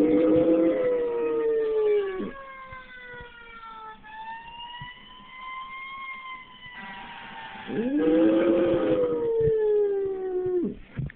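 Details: Pit bull named Brutus howling along with fire truck siren sounds: long, wavering, slightly arching howls open the recording and return near the eight-second mark, over steady gliding siren tones in between.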